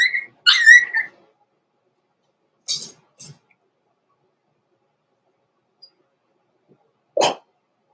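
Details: Young Blenheim Cavalier King Charles Spaniel puppies, born November 14, 2022, kept in a home puppy pen at Christmastime: a high, wavering whimper opens, followed by faint scuffles and one short sharp yip near the end.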